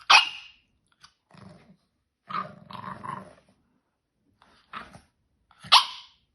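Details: French Bulldog Elton, a small pet dog, opens with a loud yap, then low rumbling growls and grumbles in short stretches, closing with a few muffled huffs and one more sharp bark.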